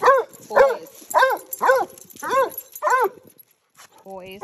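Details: Basset hounds Winston and Graham on a neighborhood outing give a steady series of six loud, arching baying howls about half a second apart, followed by a brief pause and a human voice.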